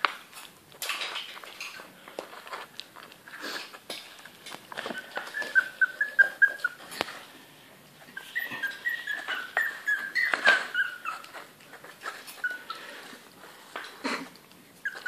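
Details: Bichon Frise and Yorkshire Terrier mix puppies, a 29-day-old litter eating for the first time, giving thin high whining whimpers that waver and slide down, among lapping, clicking feeding noises and a man's voice.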